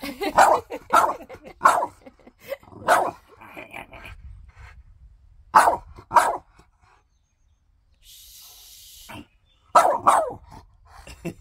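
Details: A French Bulldog argues with its owner over shoes, producing clusters of sharp barky yelps and grumbles, a quiet gap with a brief hiss, then another burst of vocalizing alongside human talk.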